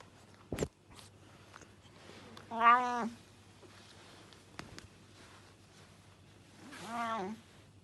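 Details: Loud domestic cat eating fast without chewing, indoors: two drawn-out harmonic meows, one near the middle and one near the end, with sharp clicks and soft eating noises between them and a low steady hum underneath.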